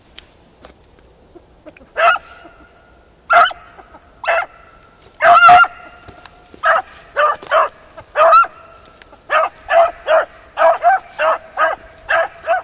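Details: Hunting over ploughed ground, a Beagle Harrier gives scattered single barks that build into a steady, nearly continuous run of clear, ringing bays, one drawn-out louder howl-like note in the middle.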